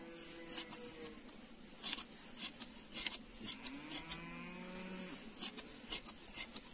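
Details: Sheep bleating while being sheared: low, wavering bleats, one near the start and a longer drawn-out one in the middle, over a steady run of sharp, crisp snipping clicks from the shears.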